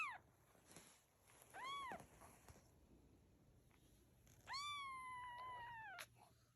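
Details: Domestic cat with kittens: a few brief arched meows over a steady hissing background, followed by one long, drawn-out meow that holds its pitch before falling away.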